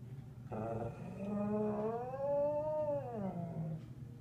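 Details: Collie howls while the monthly tornado siren sounds, a low held note rising into an arched howl that swells up and falls back down over about two seconds, then trails off.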